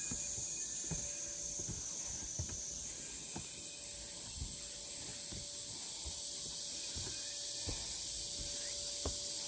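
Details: Cicadas droning on a forest trail at Deogeumsan, Namwon, Korea, August 16, 2019: an unbroken, piercing hiss that rises in pitch partway through, accompanied by regular footsteps and a faint steady tone.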